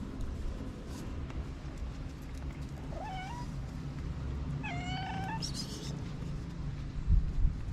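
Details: Orange tomcat just up from his nap, yawning between calls: two short, thin meows a couple of seconds apart, the second slightly longer, over a constant low hum with a faint knock at the end.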